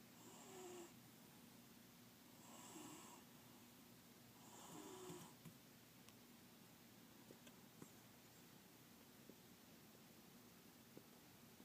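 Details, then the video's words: Murphee, a male house cat asleep under a table, snores softly indoors: three hissing breaths about two seconds apart, then the snoring fades into quiet room noise with a few small clicks. "Murphee the snoring cat"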